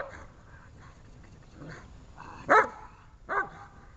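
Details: Dobermann in protection training: mostly faint, muffled sounds at first, then one loud, harsh bark followed by a second slightly softer bark near the end.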